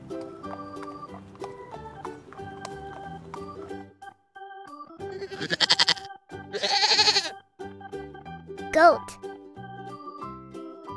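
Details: Goat presented in a children's farm animal names and sounds lesson: two short, wavering, nasal bleats in quick succession midway, over a steady, cheerful children's music backing with a brief chirp-like effect afterwards.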